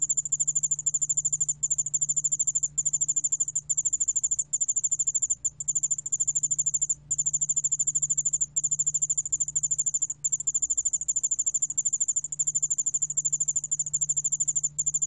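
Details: A ground cricket (Korean name 여울알락방울벌레), recorded in Korea in 2020, gives a high, thin, continuous trill broken only by brief pauses.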